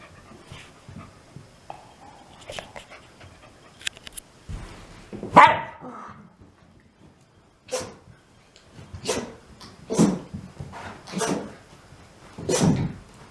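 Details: Shiba Inu pet dogs Mame and Chame sneezing at home: short sharp broadband bursts, one loud near five seconds, then a run of five about a second apart toward the end, with quiet human speech between.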